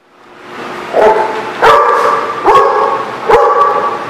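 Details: A dog at a kennel lot, recorded 10/5/18. It gives drawn-out, tonal barking howls, each held about half a second with stacked harmonics, repeated roughly every 0.8 seconds after a swelling start. Sharp knocks are heard between calls.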